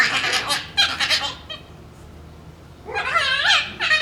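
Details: Two Shiba Inu puppies playing over a bone give strange fox-like screams: high, harsh, wavering cries in two bursts, then a quiet gap, then rising and falling wails with dense overtones.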